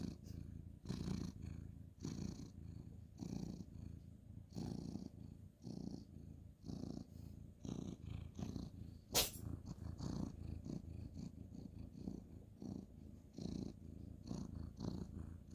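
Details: Male ginger tabby cat being cuddled and petted at night on a bed, 2/11/2023, purring continuously: fast, even rumbling pulses with rhythmic swells, one sharp click midway, otherwise a quiet room.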